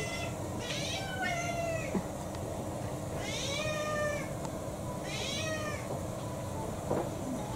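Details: Refusing dinner in December 2022, Kou-chan, a house cat of about six, meows three times at roughly two-second intervals. The calls are arched and harmonic, with a few soft knocks and clicks in the quiet room.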